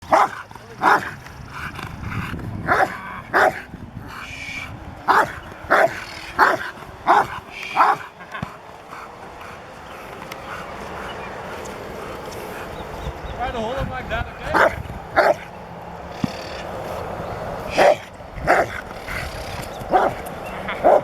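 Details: Rottweiler, a learning dog at the start of protection training at a Rottweiler club, barking in short sharp bursts, irregular volleys with pauses, over steady background noise.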